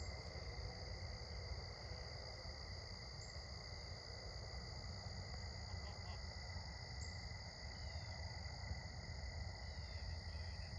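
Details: Crickets chirping at sunset during an evening walk: a steady, unbroken high trill held at constant pitch throughout, over a strong low rumble of background noise.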